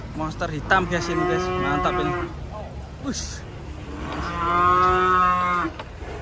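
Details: Agitated Indonesian cattle, a clear loud moo lasting about two seconds with strong harmonics, a brief click and snort, then a second long rising-then-falling bellow, faint crowd noise behind.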